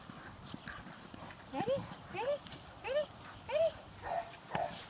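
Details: Female dog playing with her big blue ball, giving a run of five or six high, arching whiny yips roughly every half second over faint background noise.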